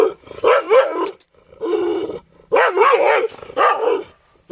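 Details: Jacky, a Gultair dog in Pakistan, gives loud, harsh, harmonic barks in four drawn-out bursts of about half a second each, separated by short silences, with a rough growling edge.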